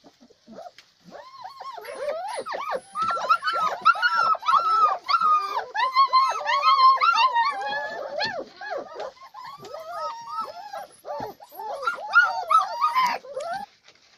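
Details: German Shepherd dogs giving a dense, continuous stream of overlapping high whines and yelps, each a short arched rising-and-falling cry, tumbling over one another for the whole stretch with barely a pause; no other clear sounds.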